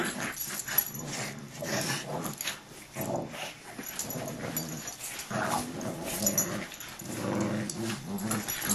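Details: Dogs in a play fight indoors, with continuous low rumbling growls and snarls overlapping through the whole stretch, rising in bursts, along with scuffling and shuffling noises.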